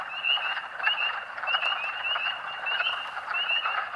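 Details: Massed spring peepers in Pennsylvania's Rothrock State Forest, March 11, 2012: clear high rising peeps, roughly one every half second from nearer frogs, standing out above a dense buzzing background chorus.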